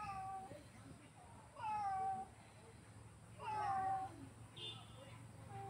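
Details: Pet cat giving repeated meows in a small room, two long level-to-falling cries about two seconds apart, with a short opening mew and a brief higher squeak, against low room hum.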